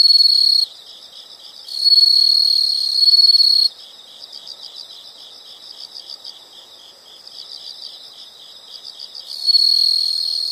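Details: Insect calls in a natural soundscape: loud sustained high-pitched trills in bursts alternating with softer rapid pulsed chirping, the loud trill starting, stopping and returning near the end.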